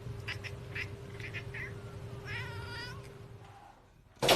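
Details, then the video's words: Domestic cat heard among various cats: a few short chirping notes, then a single wavering, nasal meow lasting under a second, over a steady low electrical hum, ending with a sharp loud click. "Cat Meowing"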